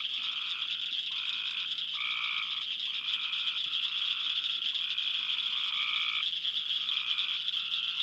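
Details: In a late June to mid July summer chorus, Cope's gray treefrogs give fast, harsh, fluttering trills, each under a second, over a dense high chorus of cricket frogs clacking like ball bearings.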